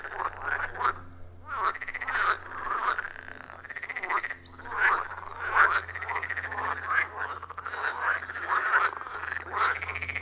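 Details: Chorus of frogs at a wild pond deep in a forest, recorded on iPhone 14 Pro and Shure MV88+; many croaking calls overlap in pulsing waves, roughly one burst per second, over a constant low drone.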